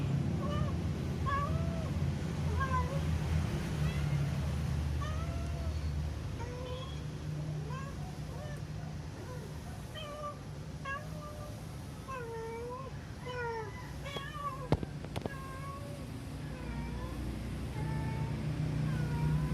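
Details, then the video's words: Pet cat making an unusual sound while also moving oddly; a rapid series of short, faint, arched mewing chirps, several each second, rising and falling in pitch over a constant low hum and a few sharp clicks. "my fushikit 😱😱😱 making sound"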